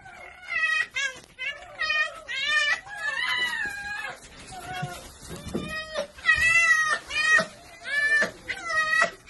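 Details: Domestic red fox, a female, very happy after missing her wolf friend, giving a run of high, wavering whining calls in bursts about once a second, with short yips between; a person speaks briefly.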